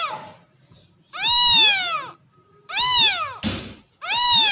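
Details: Kittens calling for their mother cat with three bright, high meows, each swelling then sliding downward, separated by short pauses, with one soft thump between the second and third calls.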